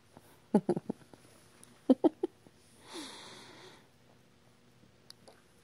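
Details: Rescued baby squirrel named Lily, in her second week with eyes just opened, gives two quick clusters of three or four short, low squeaky clicks about a second apart, followed by a brief soft hissing rustle in a quiet room.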